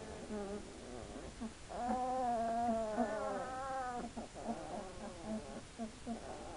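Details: Hungarian Vizsla puppies, two weeks old, whimpering: nasal, wavering whines with rich overtones, one long whine of about two seconds in the middle, and shorter quick whimpers before and after.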